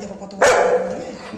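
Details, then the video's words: Anna the Golden Retriever, a pet upset with her mom over slow-cooling hot rice, gives one sudden loud bark that fades into a low whine. "গরম ভাত ঠান্ডা করতে সময় লাগছে বলে Anna মায়ের ওপর রেগে টং"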